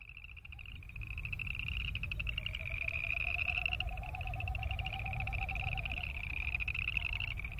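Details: A chorus of boreal chorus frogs giving continuous, rapid creaking trills, overlaid by a lower, pulsing, wavering hum from the wings of Wilson's snipe, with low background rumble.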